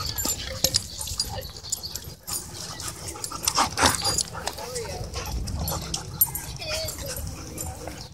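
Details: Several dogs playing together at a dog park; short whining and yelping calls with scuffling, thumping play sounds and people's voices in the background.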